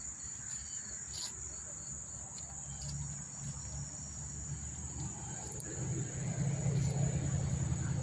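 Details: Cricket chorus at Monmouth Park Station, New Jersey, recorded September 4, 2023: a constant shrill high trill continues as a deep droning rumble, like a passing train or vehicle, swells louder toward the end.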